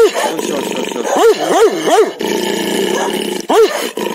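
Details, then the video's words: Dog barking in repeated arched barks, several in quick succession, then a gap and one more, over a constant noisy background. "Hundebellen, Bellender hund sound, Dog barking"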